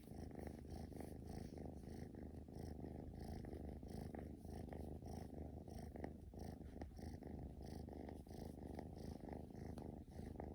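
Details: Playful young male Scottish Fold kitten with upright ears, born in 2020, purring indoors: a steady, rough, low vibration of quick repeated pulses sustained for the whole stretch.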